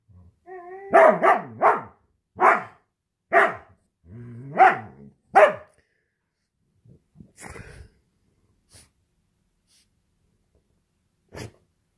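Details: Pet huskies play-fighting inside the home while their owner works: a drawn-out, wavering tonal awoo runs under a burst of rapid, harsh barks, repeated roughly every second, then scattered clicks and thumps of scuffling.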